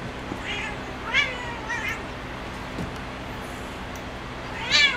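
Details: Playing on her cat perch, Spazzo the female cat lets out brief, thin meows spaced across a few seconds, the last one louder and rising, over a quiet humming room.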